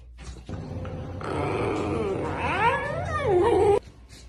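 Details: Yawning puppy indoors gives one long drawn-out vocal yawn, strained and noisy at first, then a wavering whine that rises and falls before cutting off abruptly.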